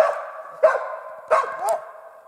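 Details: Hunting dog barking in the taiga during a marten hunt: three sharp barks with short whining tails at roughly half-second to one-second gaps, clear against a quiet background; a man praises the dog right after.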